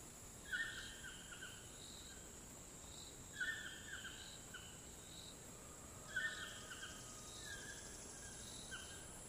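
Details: In the Costa Rican jungle, with toucans and howler monkeys around, a steady, high-pitched cicada drone runs unbroken beneath loud repeated calls roughly every three seconds.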